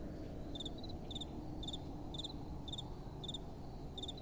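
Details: Crickets at night with soft wind, chirping in short pulsed bursts repeated roughly every half second, each a bright, high, metallic trill over a steady low rumble of wind.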